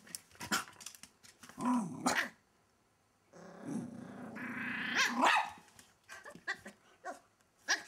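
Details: Welsh Terrier puppy Kimiko, wedged under a wardrobe, snarls in short bursts, then holds a long steady rumbling growl that rises into a sharp yappy bark before more snapping snarls.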